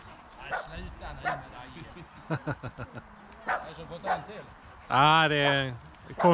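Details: Boxer Rex, a Swedish male from outside Landskrona in southern Sweden, plays with his girlfriend Tuva on a playdate. Scattered yips and snorts lead to a drawn-out, strongly harmonic whine near the end, with people talking over the dogs.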